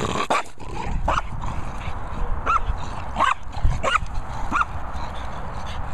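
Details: Indoors, a French Bulldog gives short, rising-then-falling yips, about five of them roughly every two-thirds of a second, over a low background hum.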